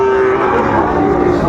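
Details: Sahiwal bull calves at Raniganj market in Dinajpur on 2 May 2024: a brief, steady, low tonal moo held over constant crowd murmur and market bustle.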